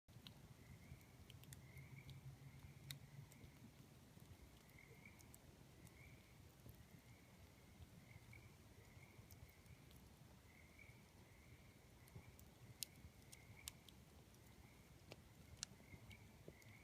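Tree frogs give short, evenly spaced trills over the snap and crackle of a campfire at night.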